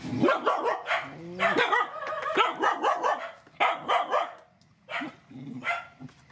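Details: Feeding time for rescued mother dogs and their puppies: dense, excited yapping with rising whiny notes, barks tumbling several per second before thinning to a few spaced yelps.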